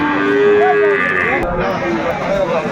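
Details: Sahiwal bull bought by a Chattogram farmer, 17 December 2024: a short, steady, tonal low moo, then a brief higher bleat-like note, with voices and crowd bustle underneath.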